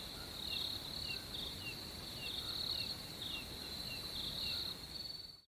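Crickets keep up a steady, high-pitched trill, swelling in brighter pulses against the quiet night.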